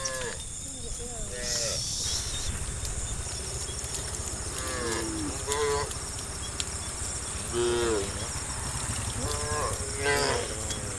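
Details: Tame cows in a herd of dozens descending a green countryside hill in the morning; short, fairly faint moos recur every two to three seconds against a constant low rumble and high hiss, with one brief broadband noise burst early.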